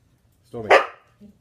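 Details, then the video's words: Husky performing tricks and 'singing' on command, giving a single rising-and-falling yowling vocalization of about half a second, harmonic and mid-pitched. A brief faint follow-up sound comes after it, and quiet room tone fills the background. "Singing huskies perform incredible dog tricks"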